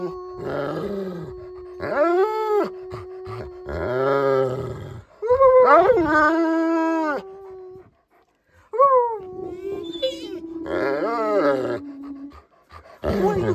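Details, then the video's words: Indoors, pet dog Beowulf gives a long run of expressive 'talking' vocalizations: rising and falling yodel-like howls, low growly grumbles and a held moaning tone, in bursts over several seconds, with a person occasionally speaking. "Talking Wolf"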